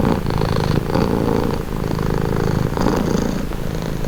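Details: Domestic cat purring steadily and close up, a low continuous rumble with soft rhythmic pulses from each breath in and out, no other sounds.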